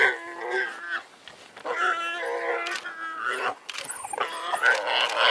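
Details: African wild dogs harassing and digging out a warthog in the wild: high, whining, harmonic squeals and twitters in overlapping bursts, several callers, with scraping and rustling between calls.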